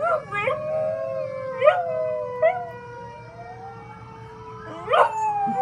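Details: An 11-month-old rescue dog, a chihuahua, pitbull, German shepherd, Jack Russell terrier and rat terrier mix, gives its daily howl: wavering mid-pitched tones with bright harmonics, broken by short yipping bursts, over a steady falling tone in the background.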